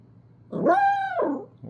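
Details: Pet dog, prompted by a person to answer, gives a single drawn-out whining howl lasting about a second, rising then gently falling, followed by a brief soft note.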